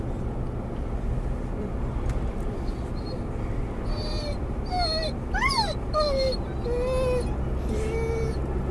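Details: Mungle, a Doberman/collie cross muzzled in a car, searches for his lost Moromom toy: after several seconds of road noise, a short burst of sharp whines and yelps, one sweeping steeply upward, then a few flatter whines.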